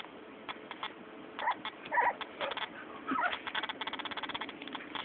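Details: Cocker spaniel puppies, 3½ weeks old and playing, give brief squeaky yelps and thin whimpers amid rapid clicking and scuffling; finding: Cocker Spaniel.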